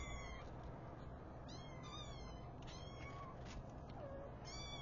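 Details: Mother cat waking her five newborn kittens; high, thin, wavering mews come in short bursts about every second, layered over a constant low rumble.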